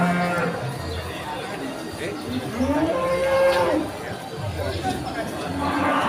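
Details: At the Ambarawa Pon cattle market during Ramadan 2024, cattle give deep drawn-out moos, one bending upward in pitch, amid crowd chatter and traders' voices.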